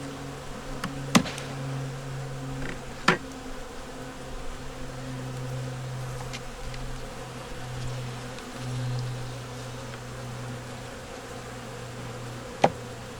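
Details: Low, even drone of a wintering honey bee nuc during a hive inspection, yellow queen and brood in the top boxes; the hum wavers slightly in strength, with occasional sharp knocks and clicks from frames being handled.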